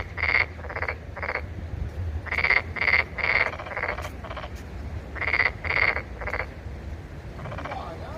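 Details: Loud rasping frog croaks, each note a coarse pulsed burst, delivered in clustered series of two to four with brief gaps, over a faint low rumble.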